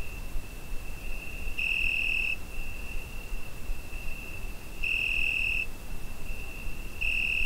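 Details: Cricket chirping through a summer night, captured with a Zoom H5: an unbroken shrill trill that intensifies in three brief louder bursts, set against faint low background noise.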